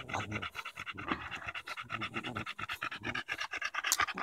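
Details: Bulldog Daisy, worn out from fighting a branch on a walk in Erindale Park in July 2014, panting quickly and rhythmically, about two breathy huffs per second, with a sharp click near the end.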